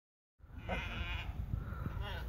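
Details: Sheep eating plums, giving a short wavering bleat with a few brief follow-up cries over a steady low rumble of background noise.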